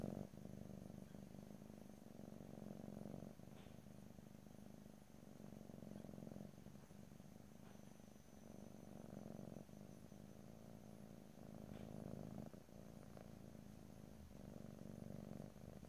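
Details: A purring domestic cat, recorded close in stereo without talking: a soft, even low rumble rising and falling in breath-length cycles of roughly two to three seconds, with faint small clicks.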